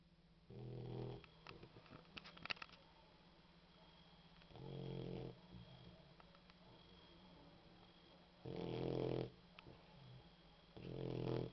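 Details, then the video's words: Female boxer dog snoring while asleep, not too loud: four rough, low snores, each about half a second to a second long, spaced irregularly over roughly eleven seconds, with a steady low hum and a few soft clicks between breaths. "The boxer Dog, snoring"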